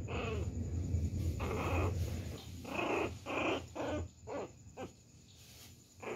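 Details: A young pinscher pestering a poodle gives low rumbling growls, then a run of sharp, quick barks about once a second.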